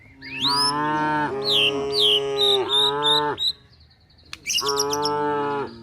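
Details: Tame cows, with calves, being herded toward a forest while looking for food give long, steady, drawn-out moos, with small birds chirping in the background.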